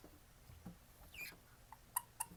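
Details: Captive male Japanese stream toads kept at home, filmed on 20 October 2016, each male with a different voice; short chirping notes with harmonics, two clear sharp chirps close together near the end, against a quiet indoor background.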